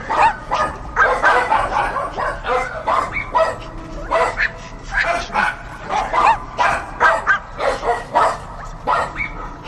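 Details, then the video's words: Dogs barking steadily, repeated harmonic barks about two per second with occasional rising yelps, overlapping voices throughout. "Barking Dogs"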